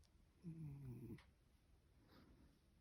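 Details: Sleeping house cat Masaru snores like a person while being tickled on the nose and cheeks; a single low, grumbling snore lasting under a second rises slightly and fades, then soft breathing follows in a quiet room.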